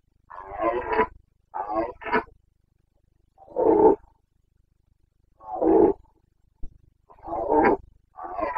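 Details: Carpathian red deer stag in the Bucovina mountains, giving its rutting roar, known locally as boncănit, during the breeding season on 29 September 2022. Harsh, rasping, grunting roars in short bursts, some doubled, about every two seconds, with quiet gaps between.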